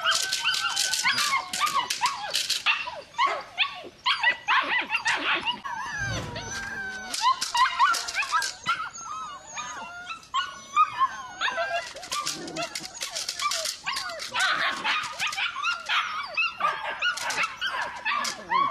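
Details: Belgian Malinois puppy whining and yelping in dense, overlapping bursts of high, wavering whimpers with short yips, nearly continuous across the recording with a brief lull near the middle.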